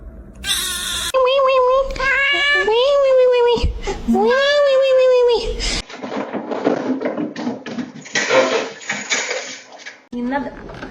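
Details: Domestic cat yowling indoors: a run of long, drawn-out, wavering meows that bend upward then fall, loud and harmonic for about six seconds, followed by a person speaking over background rustle.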